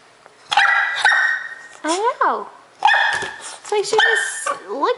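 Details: A four-month-old female English Bulldog puppy barks indoors at a bulldog in the window, annoyed: a rapid run of harsh, ringing barks mixed with rising and falling whiny yelps, some in quick pairs. A woman's voice is heard briefly.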